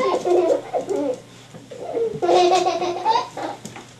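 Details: Staffordshire Bull Terrier puppies, five and a half weeks old, from one litter: overlapping high, wavering whines and squeals come in short bursts, pausing briefly near the middle before a louder, denser run of yelping cries.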